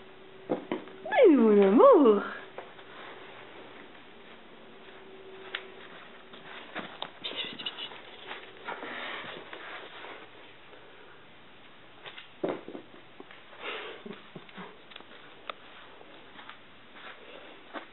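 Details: Velma, a young kitten being trained indoors to fetch and return a paper ball, gives one loud drawn-out meow early on, its pitch dipping and rising with strong overtones; afterwards soft clicks, rustles and a person's voice fill a quiet room.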